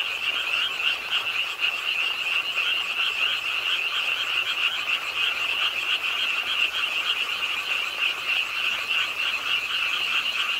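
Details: Pond-side frogs in Suwon's Ingye Art Park, South Korea, croaking through a rainy late night: a continuous wall of fast, pulsing, shrill calls from many frogs at once, slightly uneven in rhythm.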